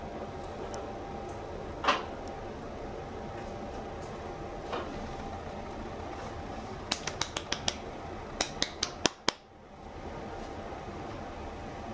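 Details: Quiet room tone with a burst of sharp clicks and taps near the end, and no animal voice.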